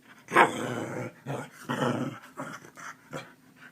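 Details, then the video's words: Keeshond waking its owner in the morning like an alarm clock, at the same time every day, giving a run of rough, low growling grumbles and whines in short bursts, about five in four seconds, indoors. "Keeshond alarm clock"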